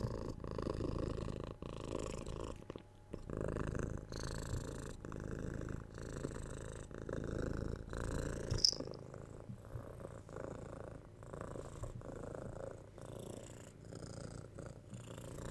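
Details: Cat purring softly, a low rumbling hum pulsing with each breath about once a second, slightly quieter and more airy, with faint higher hissy textures over the steady drone.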